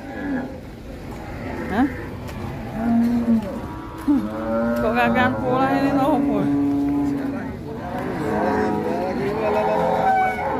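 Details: Rampaging sacrificial cattle unloading from a truck at Siyono Harjo market, lowing repeatedly: a short low moo, then a longer steady one lasting about two seconds. Men talk and shout throughout over market bustle.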